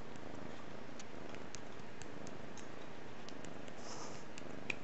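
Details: Five-month-old kitten purring indoors, a steady low rumbling drone running throughout with faint soft clicks above it.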